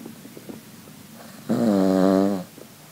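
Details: Sophie, a female Cavalier King Charles Spaniel, sound asleep and snoring loudly indoors: quiet breathing, then one drawn-out, tonal, droning snore lasting about a second before fading back to soft breaths.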